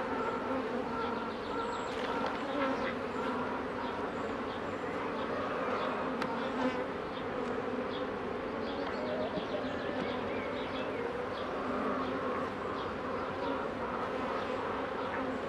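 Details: Colony of honey bees droning steadily as a beekeeper tends the hives in 2018; an unbroken, rich buzzing hum with faint clicks and handling noises mixed in.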